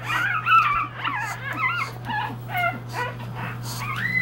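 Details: Newborn English Bulldog puppies, three days old, looking for their mother's care: several thin, wavering squeals and whines close together, some rising at the end, with a steady low hum behind.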